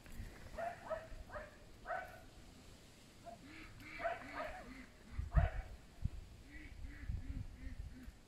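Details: Pet fox, one of three rescued from a fur farm and kept by a family, calls in short harmonic yelps, several quick bursts early on, then more after a pause, with soft low murmurs between and light indoor handling noise.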